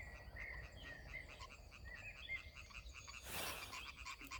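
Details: European tree frogs (green tree frog, Hyla arborea) calling on a warm summer night in dense vegetation with rapid, rasping, repeated croaks over a steady background hiss; the call is said to carry up to 1 km.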